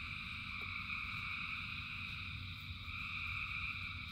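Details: Frogs in rain form a steady wall of high trilling song, unchanging across the stretch, over a rumbling low patter of rainfall with a single clear drop click.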